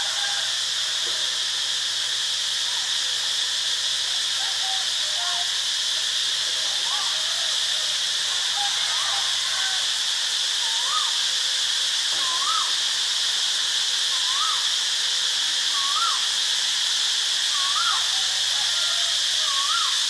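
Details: Constant high cicada buzzing recorded at Ubon Ratchathani, Thailand, with a faint low hum beneath. Short rising whistled notes repeat roughly every two seconds through the second half.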